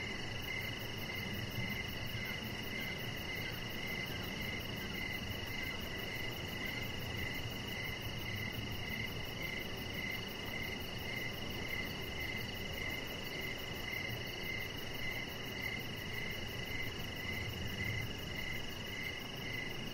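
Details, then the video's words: Crickets calling outdoors in the evening beside a deck where a chihuahua puppy lies; a steady, unbroken chain of high chirps about twice a second runs through the whole stretch above a low hum and hiss. "Cricket Sounds"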